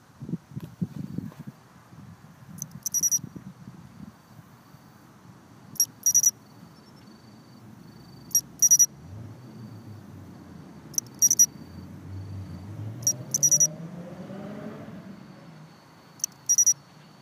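Clear, ringing chirps from a Japanese pine cricket come in short high bursts, repeated every two to three seconds. Underneath runs a low rumble, with a passing vehicle swelling midway.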